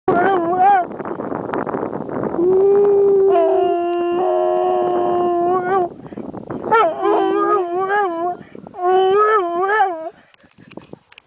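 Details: Terrier howling, described as roaring to unleash its wild side, while hiking the Tent Ridge Horseshoe in Canmore. It gives long, wavering, richly harmonic howls, some held about three seconds, in several drawn-out bouts with short pauses. A rushing noise opens the recording.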